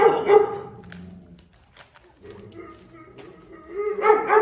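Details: Food-guarding Presa Canario, fierce and irritable: a harsh snarl opens, then a quieter stretch with faint rumbling and a steady tone, before another rough snarl rises at the close.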